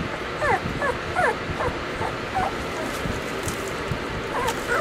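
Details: Summer recording of the Weimaraner puppies Bailey, Hailey and Jenny: a string of soft, falling whimpers about every half second, thin and whining, over a dense hissing background.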